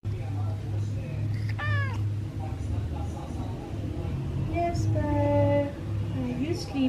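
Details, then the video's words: Jasper the Persian cat, called a talking cat, gives a short falling meow and then a longer, steadier meow with a slight upturn, while a woman whispers and music plays softly behind. "jasper persian cat ignores me ..talking cat"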